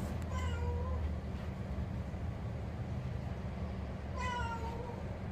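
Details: Benny, a pet cat living at home in Bali, gives two drawn-out meows about four seconds apart, each falling slightly at the end, over a steady low hum indoors.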